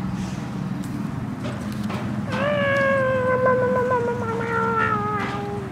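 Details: Trigger, a female boxer, gives one long drawn-out howling whine of about three seconds, starting higher and slowly sliding lower with a wavering, talkative quality, a low steady hum underneath.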